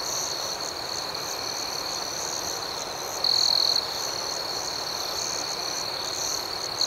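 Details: Nighttime cricket chorus: a sustained, piercing high trill with faster pulsed chirps layered above it, repeating about four times a second. Two brief louder bursts of the main trill stand out.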